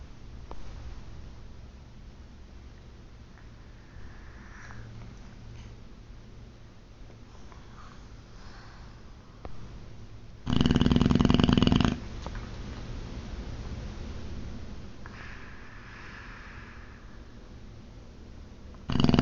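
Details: Boxer dog Ozzy asleep indoors, snoring loud: soft breathing and faint sniffs, then one long rattling snore near the middle and another starting at the very end.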